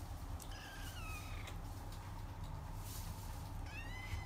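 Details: Two descending meows from a female Persian cat with a chinchilla golden coat, born 8 September 2019: one near the start sliding downward, a second short one at the end, over steady low room hum.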